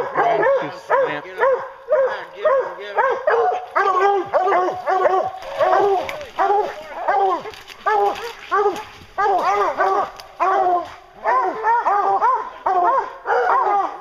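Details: Bear-hunting hounds baying hard, a continuous chorus of loud, bawling barks with rising-falling tone, coming in rapid bursts with brief gaps throughout.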